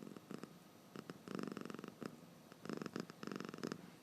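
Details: Domestic cat dozing with open eyes, snoring in quick raspy bursts; breath sounds cluster in groups separated by brief quiet gaps, recorded in a calm room.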